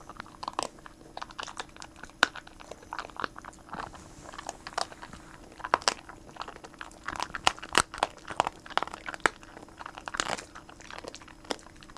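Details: Sharp, irregular crunches and chewing noises fill the clip as something brittle is bitten and broken indoors. No calls or other vocal sounds are heard.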